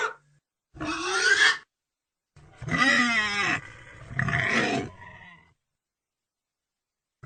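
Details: Pig giving three loud, harsh vocal bursts about a second long each, with a rough, growling tone and sliding harmonic pitch, separated by short pauses, then silence.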